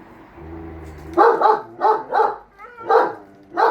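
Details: German Shepherd Enzo and Siberian Husky Shira, household dogs, sound off about the lawn mower: a low droning hum opens, then a run of about five rapid, rough barks with a brief whine-like note between them.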